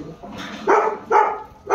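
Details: Golden retriever barking, recorded January 29, 2024: three short, sharp barks about half a second apart, each a bright harmonic burst, with faint background murmur between them.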